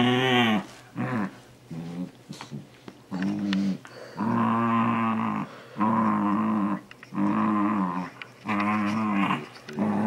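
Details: Indoors, a male Shiba Inu, nearly two years old, vocalizes while trying to grab socks. A run of repeated groaning, yodel-like whines, each about a second long with brief gaps, roughly every one and a half seconds, wavering in pitch.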